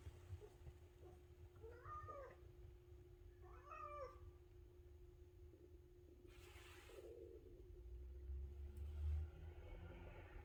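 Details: Maine Coon cat indoors scolding its owner for oversleeping in the morning; two short wavering meows about two seconds apart, with a steady low hum and rustling noise in the background.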